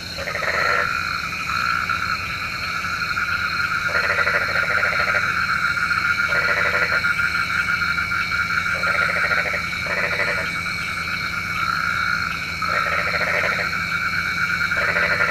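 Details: Frogs calling after dark, believed to bring rain, repeat short grating pulsed croaks about every one to two seconds throughout, with a continuous high-pitched hum of other callers underneath.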